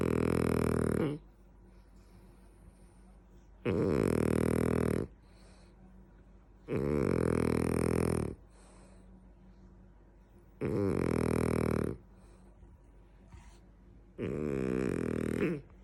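A French Bulldog snores loudly, each rasping, rumbling breath lasting about a second, with quiet pauses between.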